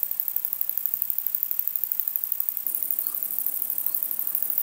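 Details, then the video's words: Long-winged conehead bush-cricket (Conocephalus fuscus) singing at sunset at Dreezsee, Germany: a thin, very high hiss of fast regular ticks, growing denser and louder partway through, with soft background noise. "Conocephalus fuscus -- Langflügelige Schwertschrecke -- Long-winged Conehead"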